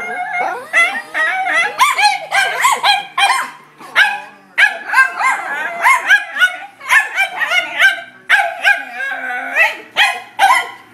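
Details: Two dachshunds, one red and one black-and-white piebald, bark in rapid, high-pitched bursts with sharp yips and whiny notes, intimidated by a new golf club.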